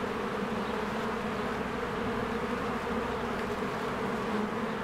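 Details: Many honeybees work diligently around their hive in spring. A thick, unbroken buzzing hum fills the few seconds, steady in pitch and loudness.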